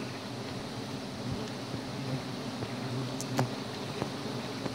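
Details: Wild giant honey bees (Apis dorsata) during a forest honey hunt at Gunung Bongkok, Jampang, Sukabumi, their nectar mainly teak and calliandra; a steady low droning hum fills the clip, with occasional faint clicks and a sharp knock near the end.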